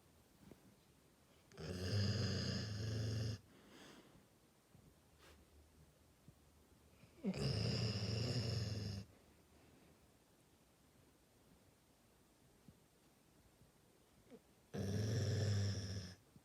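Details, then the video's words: Labrador Retriever sleeping and snoring steadily: three long, loud, rumbling snores of about two seconds each, spaced roughly five to seven seconds apart with quiet breathing between, in a small indoor room. "리트리버 코골이"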